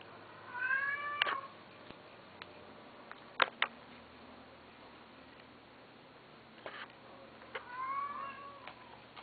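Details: Male Domestic Shorthair cat, abandoned and living at an animal shelter with another cat, recorded indoors in the morning of 12 September 2012: two drawn-out, harmonic meows, one near the start and one near the end, separated by sharp clicks and knocks.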